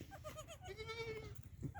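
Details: Black Bengal goat on a farm bleating: a series of short quavering notes leading into a longer steady harmonic bleat lasting about half a second, over a constant low hum.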